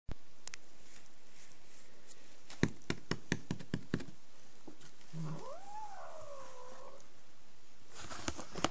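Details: ['Angry domestic cat giving one drawn-out wailing yowl that rises, then wavers and slowly falls, lasting about two seconds, after a run of sharp clicking taps; a quiet indoor room otherwise.']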